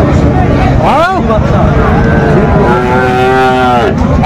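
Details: Sahiwal bull calves at a market on 4 February 2025, where a farmer from Dhaka is buying them; one drawn-out, steady moo swells in the second half after a brief rising cry, over constant vehicle rumble and crowd noise.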